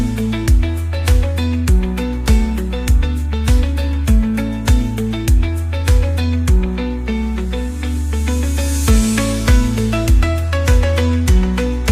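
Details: Strummed guitar music with a steady, regular beat fills the whole stretch, and no animal is heard.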